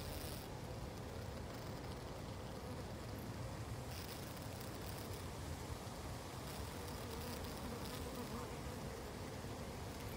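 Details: Honey bees said to be hungry, a dense, steady buzzing hum of many insects that stays even throughout, with brief faint ticks and no other clear sounds.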